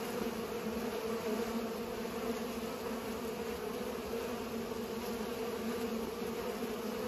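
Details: Unbroken droning of bees busy pollinating flowers, two stacked hum bands that waver slightly in pitch as individual insects move about.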